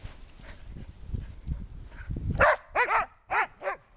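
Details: Snow, a dog, barking again: after two seconds of low rumbling noise, four sharp, bright barks ring out in quick succession, each a short harmonic yelp with a rising-falling arch.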